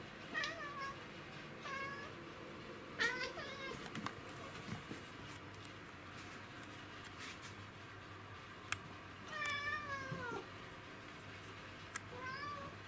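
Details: Kuro, a black house cat, in hunting mode and trying to get an insect, 20 August 2017; about five meows, mostly short and bending down in pitch, with one longer drawn-out meow near the end, plus light taps and clicks indoors.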